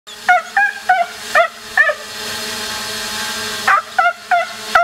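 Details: Border Collie named Fever playing drone chase with a 3DRobotic Solo drone: two bursts of short, high, yelping barks, about four or five in each, bending in pitch, over the steady whine of the drone's motors.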